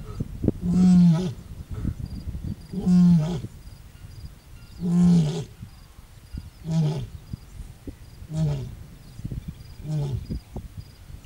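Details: Lioness in Ngorongoro Crater, Tanzania, calling on a cloudy morning: a series of six deep grunting roars, about one every two seconds, the later ones growing softer and shorter.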